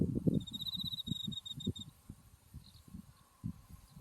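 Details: Autumn insect voice from a blooming buckwheat field with Mount Tsukuba in view: one high, fast, pulsed trill lasting about a second and a half, then fainter chirps amid gusty low rumble.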